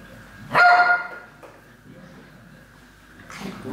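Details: Alaskan Malamute recorded on 30 November 2013, one sharp bark with a brief tonal yelp, then a quieter pause before another voiced sound rises at the end.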